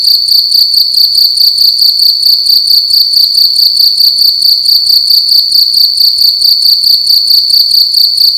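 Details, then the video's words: Nighttime cricket calling loudly within a room: piercing high trill delivered in fast, evenly spaced pulses, unbroken throughout, over a quiet low-pitched hum. "Cricket making loud sounds at night in a room"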